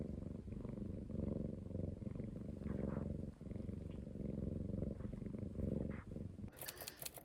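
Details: A male British Shorthair cat, ten months old and put on a diet, giving a deep, continuous vibrating rumble in rhythmic breaths, cut off near the end by a burst of sharp clicking and rustling.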